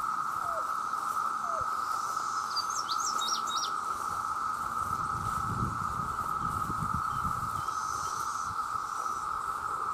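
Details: Male cicadas in great numbers sing to attract females with an unbroken, loud droning hum. A short burst of thin bird chirps sounds partway through over faint low rumbling.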